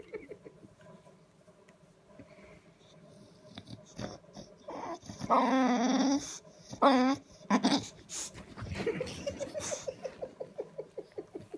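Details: Sulking bulldog indoors early on a Saturday morning, making attention-seeking noises: drawn-out whining moans with wavering pitch, then a run of short rhythmic grunting huffs near the end.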